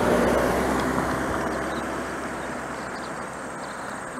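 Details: Steady road traffic noise with a passing vehicle, and no clear animal calls.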